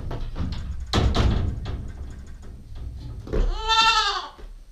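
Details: Heavy rustling and bumping from a nine-week-old female Nubian goat kid close to a GoPro, then one wavering, nasal bleat near the end.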